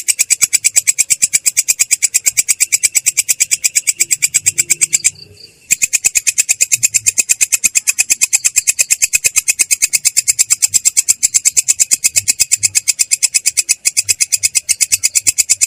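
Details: Katydid (belalang kecek) producing the sustained ngerol roll, clear and rough in tone: long run of rapid, regular sharp high-pitched pulses, broken once by a short pause, then continuing steadily.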